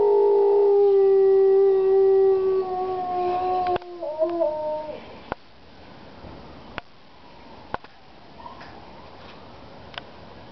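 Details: Howling dog: a loud, drawn-out tone for the first three and a half seconds, sliding into quieter wavering notes that fade out, followed by scattered sharp taps and near-silence.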